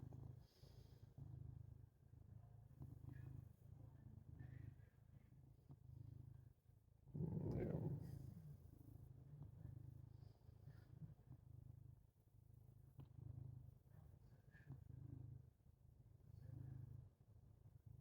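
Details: Domestic cat purring while lying on its owner to wake them; steady low rumbling purr throughout, with a brief louder voiced sound around the middle and faint background noise.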